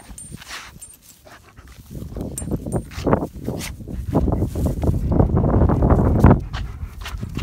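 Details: Odin, a German Shepherd, play-fighting with a feisty dog named Hannah outdoors; rough, low growling and snarling bursts build after a quiet start, with panting breaths and scuffling between.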